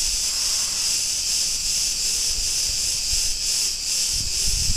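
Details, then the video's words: Cretan cicadas in a street of Ierapetra, Greece: bright, continuous rasping buzz with gentle regular swells. Low thuds and rumbling appear near the end. "Cretan cicadas sounds"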